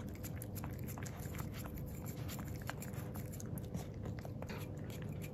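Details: Male black-and-tan Miniature Pinscher puppy named Jiro tasting unsweetened yogurt for his first time, close ASMR-style recording indoors; rapid repeated lapping and smacking clicks, several per second, over constant low background hum.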